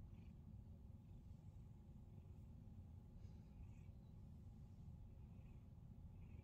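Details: Male pet cat enjoying a morning massage, purring in an unbroken low rumble, while a few faint brief high chirps appear in the background.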